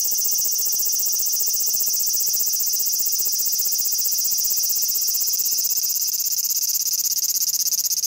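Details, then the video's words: A large brown cicada gives a steady, sizzling drone like fat crackling in a frying pan; it seems to stay still during the long drone and move during pulsed calls, and the high notes may be distorted. "アブラゼミの鳴き声"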